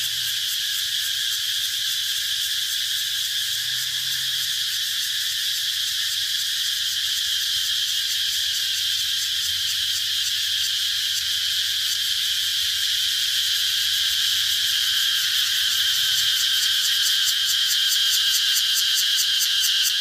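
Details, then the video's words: Twenty seconds of relentless cicada buzzing, a constant shrill metallic drone that holds level throughout, with rapid pulsing creeping in over the last few seconds. "Cicada sound"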